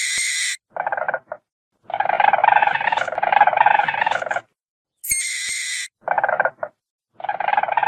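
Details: Weasel with squeals and hisses, as a stealthy predator of forests and fields: harsh, buzzy chattering bursts of one to two seconds alternating with short, sharp, high squeaks, separated by brief silences.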